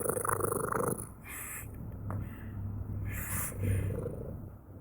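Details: Close, loud cat purr, a rapid buzzing rumble of roughly three to four pulses per second, with the sound swelling on each breath in and out.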